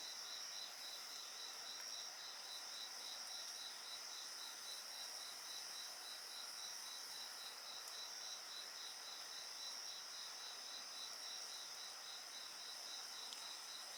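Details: A dense insect chorus near a campfire: a fast, regular train of high chirps runs the whole way through over continuous shrill ringing, with only an occasional soft pop from the flames.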